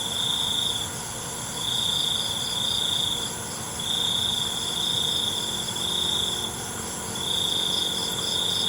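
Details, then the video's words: Night-time cricket, called cengkerik: sustained high-pitched trilling bursts lasting one to two seconds, separated by brief pauses, rising and falling in loudness against a constant background drone of insects. "ALUNAN CENGKERIK MALAM"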